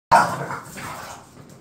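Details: Pet bulldogs Khan and Ali, bored at home, with a single sharp bark that starts abruptly, then a voiced, harmonic tail fading over about a second and a half, indoors.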